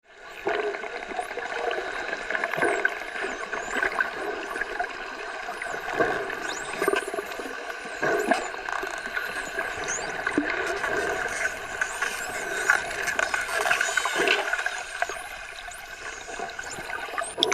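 Underwater dolphin sounds: many high, sweeping whistles rising and falling over a steady watery hiss.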